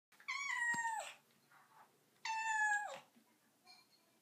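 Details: Domestic cat on a bathroom counter giving two clear harmonic meows, each about three-quarters of a second, falling slightly in pitch, separated by a pause; faint quieter sounds between them indoors.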